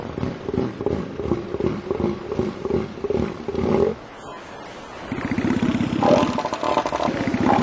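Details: Southern elephant seal (Mirounga leonina): two rival bulls fighting over territory and mating rights to females give deep, rapidly pulsed guttural roars.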